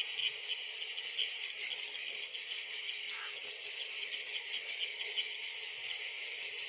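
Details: A continuous high-pitched buzz from an ash cicada (Cicada orni) caught by a praying mantis, evenly sustained with slight fluttering pulses and a brief soft click partway through.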